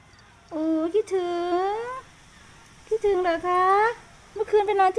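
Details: Three bouts of meowing from Sky, a pet cat being affectionate and asking for attention. Each bout is a long, steady, nasal cry that rises at its end, broken by short chirpy catches, with silence between bouts.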